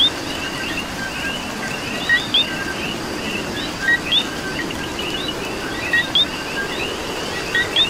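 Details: A Puerto Rico night chorus of coqui frogs in rain. One caller repeats a flat note and a rising chirp about every two seconds, slightly softer, amid overlapping distant frog calls and continuous rain noise.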